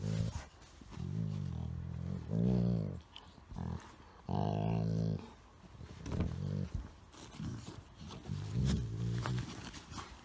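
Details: During playful tussling with a Chihuahua–Shih Tzu mix, a pet Golden Retriever produces a string of low, throaty, talking-like growls and grumbles of varying length, with shuffling and bumping sounds between them.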